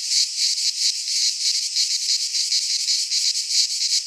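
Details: Cicadas singing in midsummer in a Greek pine forest: a dense, continuous buzzing hiss high in pitch, pulsing in quick uneven surges several times a second, with no other sounds.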